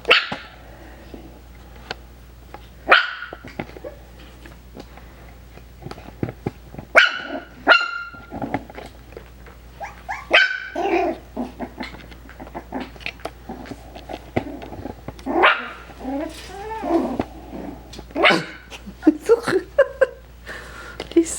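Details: Five-week-old Coton de Tulear puppies playing indoors: scattered high, sharp yips and barks, some with rising squeaky tones, separated by pauses, over a steady low hum.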